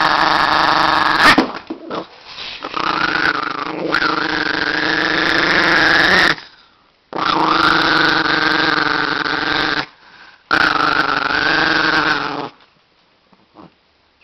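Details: An angry Chihuahua growls in long, rasping bursts that rise into snarling whines.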